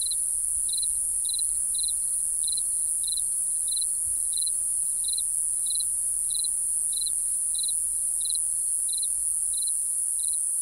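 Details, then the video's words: Night-time crickets chirping: bright, sharp, slightly trilled chirps come at a steady pace, roughly sixteen of them, with a continuous piercing whine above and faint low rumble beneath. "Real Cricket Chirping Sound | Cricket Noise"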